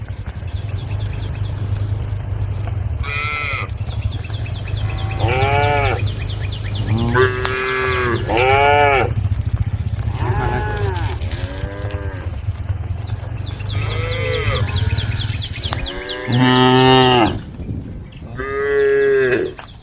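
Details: A group of tame female cows (Bos taurus) moo in turn, with long, rich calls that rise and fall as they call the rest of the herd.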